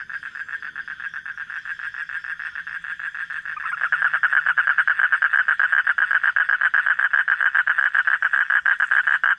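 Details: Frogs calling at night, a rapid run of short, rasping pulses, roughly four per second, that grows louder and denser after a quieter opening, with a faint steady hum underneath.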